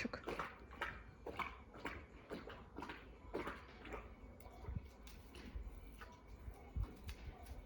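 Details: Labrador Retriever drinking water indoors, a steady run of soft wet lapping splashes roughly twice each second, with faint low room rumble beneath and no voices.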